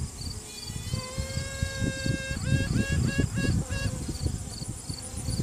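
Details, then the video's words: Virgin honey bee queen inside a hive, piping to assert dominance during a routine hive check, recorded on a cell phone: a long steady trumpet-like tone, then about six short rapid toots, over dense worker buzzing. "Queen Bee strange noises"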